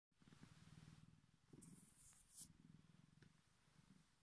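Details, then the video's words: Bengal cat, a male pet indoors, giving a deep purr likened to a big cat's: steady low rumbling pulses in rapid rhythm, pausing briefly around each breath, with a few faint clicks and rustles. "purrs like a Big Cat"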